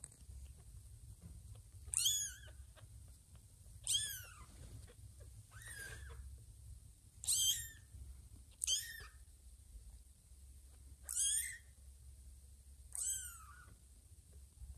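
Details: Newborn kitten about two weeks old crawling toward Ginger's tummy for milk, mistaking her for mother Lima: seven shrill, falling mews repeated every one to two seconds, each with a downward-curving tail, over faint low background hum.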